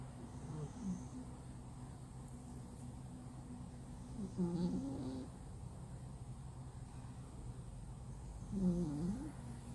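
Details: Loud snoring from a flat-nosed male cat sleeping like a rock; low guttural snores come about every four seconds, rising and falling in pitch, with a steady background hum throughout.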